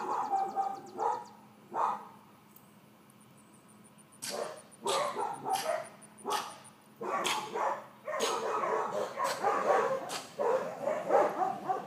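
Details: Four-month-old miniature dachshund Georgia, a female puppy in training who gets super-excited during interaction: a few isolated yips, a quiet gap, then increasingly rapid, overlapping bursts of barking with knocking clicks.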